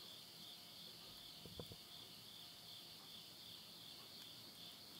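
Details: End-of-summer insect chorus near midnight in rural Yurihama, Tottori, Japan, September 2020: continuous high buzzing trill throughout, with a brief low pop and crackle from burning wood in a nearby stove midway.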